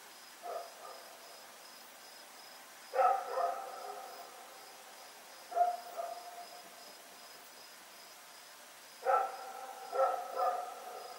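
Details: Rex, a dog loose at night on Oct 7, 2018, gives short barks in groups of one to three spaced a few seconds apart, with a regular high insect chirping behind.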